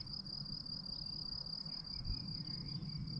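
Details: Crickets in a meadow near Lac des Rouges Truites, Jura, France, in mid-to-late May keep up a continuous, shrill, unbroken trill with a faint higher tone, over low wind rumble and faint distant chirps.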